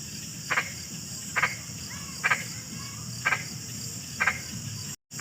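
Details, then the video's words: Frog calls: short bright croaking pulses repeated about once a second, each a brief double knock, over a steady high insect-like hum and low background rumble. "SUARA KODOK"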